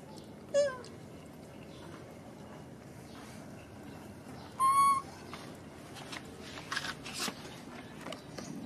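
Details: Baby macaque abandoned by its mother, crying: two short, piercing tonal cries about four seconds apart, the first sliding sharply downward, the second a flat, drawn-out whine, over a low steady background rumble with faint rustling.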